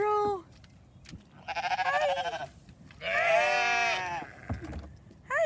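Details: Sheep being given hay, including a hungry new ram lamb in a flock with seven lambs; two loud, long bleats, the first quavering in rapid pulses, the second a strained, buzzy cry, with a short call at each edge.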